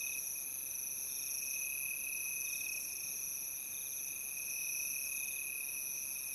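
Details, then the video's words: Cricket chorus heard as a constant, piercing high trill in several stacked pitches, evenly pulsing and uninterrupted across the short stretch, with no other clear sounds. "Cricket sound"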